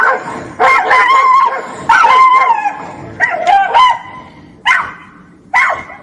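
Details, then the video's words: Dogs in a fight: a series of strained, wavering yelps and squealing cries, each lasting about a second, separated by brief gaps and fading toward the end. "Tunog ng NAG-AAWAY NA MGA ASO | Sound of FIGHTING DOGS"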